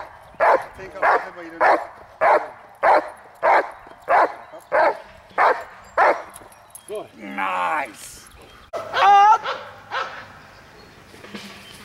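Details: Dog barking during protection training on the hold and bark and outs, recorded May 19, 2020; steady run of sharp, loud barks about twice a second, then a pause with a short whine and a human voice.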